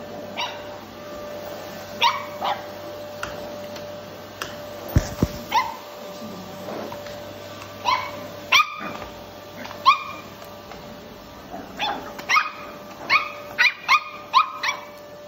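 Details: Cavalier King Charles Spaniel puppy, Blenheim, playfully hunting a running vacuum cleaner during daily cleaning indoors: about fifteen sharp, high barks and yips, some in quick bursts, over the vacuum's steady humming drone.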